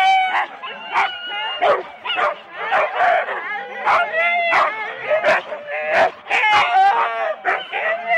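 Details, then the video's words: Excited Husky sled dogs in four-dog teams at the start of a race at Rendlesham in January 2016, taped on analogue cassette. Many overlapping high yelps and barks rise and fall, with voices mixed in. "4 dog Husky teams - the complete start"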